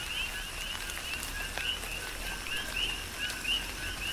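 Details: Coqui frogs sing in tropical rain on the Big Island of Hawaii. Their repeated rising two-part chirps are softer here, partly masked by heavy rain noise, with a few calls standing out clearly near the end.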